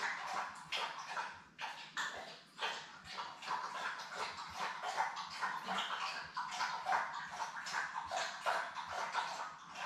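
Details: Litter of seven newborn Labrador Retriever puppies with their mother Belle, indoors on a live puppy cam; dense overlapping whimpers and squeaks run continuously and unevenly, several pups crying at once, rising and falling in bursts.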